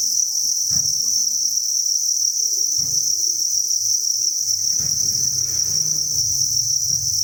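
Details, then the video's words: Dense chorus from thousands of farmed crickets in a breeding facility: a constant piercing high trill, joined by occasional low thumps and rustling handling noise. "Cricket Chirping Sound"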